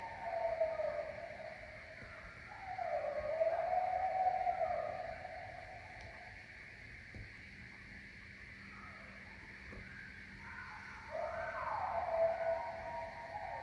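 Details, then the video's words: A pack of coyotes howls at night in the woods in Maine, with long, wavering tones that rise and fall over a low steady background hum. "Listen to the sounds of a pack of coyotes howling at the moon"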